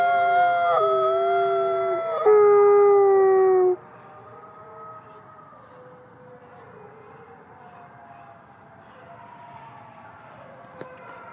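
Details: Captive gray wolves at the Wolf Conservation Center, South Salem, New York, howling at twilight: two loud overlapping howls sliding slightly downward for about four seconds, followed by fainter, distant howling and near quiet.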